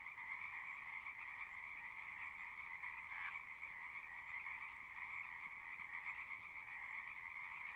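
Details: Chorus of many frogs at a pasture pond, a constant overlapping buzz of trilling croaks that never breaks, with one brief louder note near the middle, captured on a Zoom recorder.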